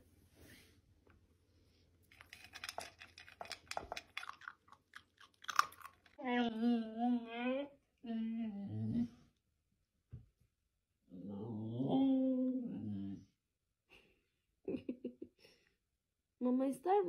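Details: Siberian Husky indoors at feeding time, crunching food first, then producing several wavering, howl-like 'talking' vocals of one to two seconds each, pitch sliding and quivering, with pauses and a short final yodel.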